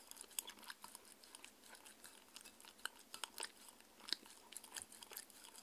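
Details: Mindy, a 6-year-old female Shetland Sheepdog, eats her raw beef dinner. Rapid crunchy bites and wet chewing clicks come in quick irregular bursts, with no talking and no other clear sounds.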